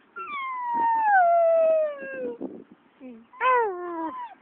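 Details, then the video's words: Puppy at the park after a walk, letting out one long, smooth howl that glides steadily downward for about two seconds, followed by a shorter, rising-then-falling howl, with faint background voice. "Howling puppy"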